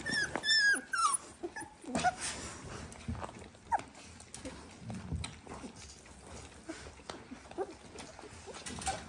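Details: Dalmatian puppies, 18 days old, settled and still keen to eat. A few thin rising squeaks open the recording, then quieter scattered whimpers over clicking and shuffling sounds.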